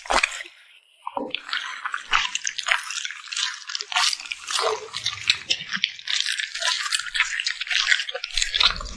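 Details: Wet smacking and licking from a cute puppy at its meal, beginning after a short quiet gap, then a dense chain of sharp moist clicks with faint low bumps underneath.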